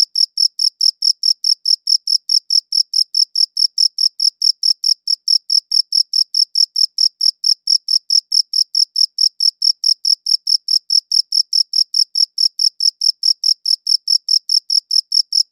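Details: A long unbroken sequence of cricket chirping, recorded with a high-quality audio recorder: quick, metronome-like high-pitched pulses repeating steadily throughout, crisp and clean, with no other animals, voices or noise.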